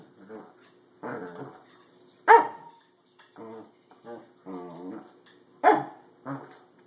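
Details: Corgi kept as a pet, unhappy with a springy doorstop, mixes low grumbling vocalisations with two sharp, loud barks and several shorter muttered sounds over seven seconds, irregularly spaced.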